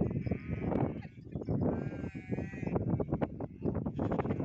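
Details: Farmed goats kept together with sheep give a long quavering bleat lasting about a second, with a shorter one at the start, over heavy scuffling and low rumbling crowd noise.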